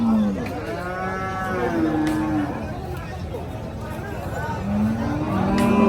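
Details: Water buffalo at Paragram cattle market, giving low drawn-out moos that swell and fade, two or three calls spaced a few seconds apart over a steady crowd murmur and background chatter.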